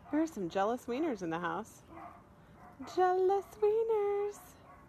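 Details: Playful miniature dachshund giving a run of wavering, rising-and-falling whiny yelps in quick succession, then two longer, steadier howl-like tones, all fairly high-pitched and harmonic, with soft background noise between.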